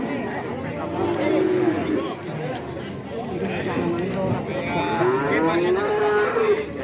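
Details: Market cattle in Kajen, Pekalongan, Central Java, a weekly Wednesday livestock market; two tonal moos, a short one early and a longer rising-then-level one near the end, amid busy human talk and crowd noise.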